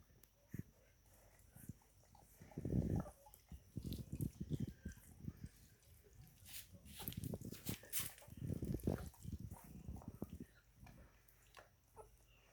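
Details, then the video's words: German Shepherd / Belgian Shepherd puppies, nine days old, drinking milk: low, muffled grunts and suckling noises in irregular bursts throughout, densest around three seconds and again from seven to ten seconds. "Cachorros pastor aleman / belga (dia 9) -tomando leche"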